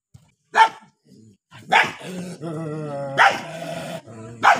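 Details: Angry pair of dogs: a sharp bark, a sustained harmonic growl lasting over a second, then more loud barks in quick succession.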